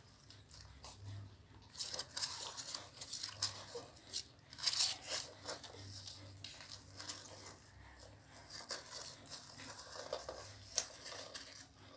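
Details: Quiet indoor tearing and crinkling noises come in scattered bursts, with a faint low hum underneath and no animal voice.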